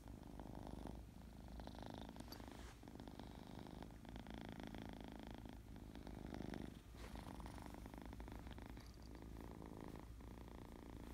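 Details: Purring from a happy, playful kitten: a steady low drone with rhythmic breath cycles, marked by brief dips roughly every one to two seconds and light rustling above.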